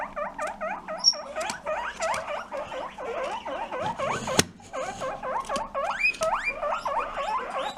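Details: A guinea pig gives rapid, repeated squeaky chirps, sliding up and down, while sniffing an interesting smell. The owner has heard this only from males sniffing female scents, which prompts reactions from other males.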